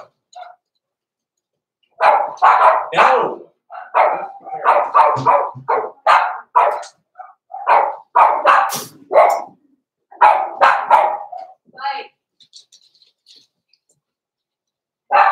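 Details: Blenheim Cavalier King Charles Spaniel puppies, named Roman and Blue and born November 14, 2022, in an indoor puppy pen at Christmas time, give bursts of high, harsh barks and yaps in quick clusters, then fall quiet.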